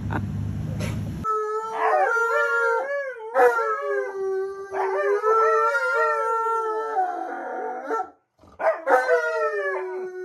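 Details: Alaskan Malamute howling: after a short burst of noise, long drawn-out tones waver and bend, with overlapping voices rising and falling, then a brief pause near the end before the howling resumes.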